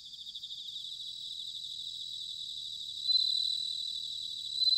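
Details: Singing bell crickets in autumn, recorded at Sanuki in Chiba, Japan: steady high, pulsing bell-like trill, with a louder sustained ringing phrase swelling in toward the end.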